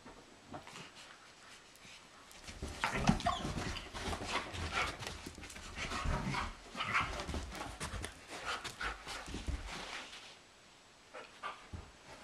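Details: A German Shepherd and a Doberman, Sugar Tree and Blondi, wrestle energetically in a living room in April while two sheep watch. Rough, broadband bursts of growling and huffing come in irregular clusters, with thumps and scuffling from about three to ten seconds.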